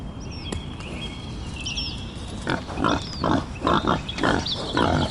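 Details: Wild boar giving a run of short, rough, breathy grunts in the second half, about two a second, over a steady high insect-like drone and scattered chirping birds.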